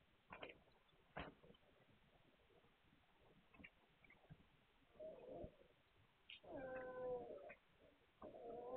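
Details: Hungarian Vizsla puppies, recorded 9 March 2021, make short nasal whimpers. After a few faint ticks and thumps come three drawn-out, harmonic whines in the last four seconds, with quiet gaps between them.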